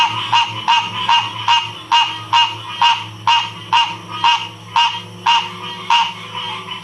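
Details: Frog chorus at Ocean Springs, Mississippi, recorded in 2016: loud, regular croaking notes repeated about twice a second over a steady background trill of many more frogs.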